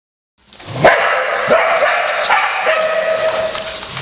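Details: Pet dogs, always excited to play, recorded on 3/3/08 at playtime: after a silent start, sharp yipping barks come at irregular intervals, each with a high ringing tone, over a steady background hiss.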